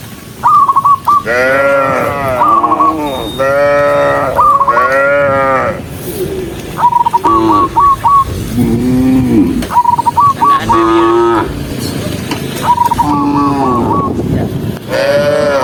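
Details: Dozens of docile cows walking along a country road on their way to the barn, giving long, overlapping, droning moos one after another, broken by bursts of short, repeated chirping notes.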